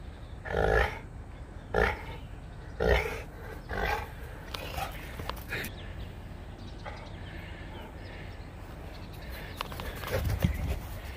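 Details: Max, a Saint Bernard puppy, plays outside in the cold at 25 degrees. Three short, gruff grunts come about once a second, then quieter rustling and one more low grunt near the end.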